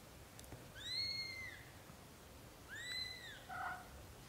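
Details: British Shorthair kittens in their first 30 days of growing up give two thin, high arched mews about two seconds apart, each rising then falling, followed by a short lower squeak; quiet room background.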